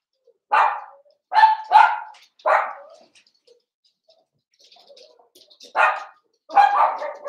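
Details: Indoor puppy pen holding a litter of five blenheim Cavalier King Charles Spaniels, seven weeks old: a run of high, sharp barks, several in quick succession, a short pause with faint rustling, then more barks.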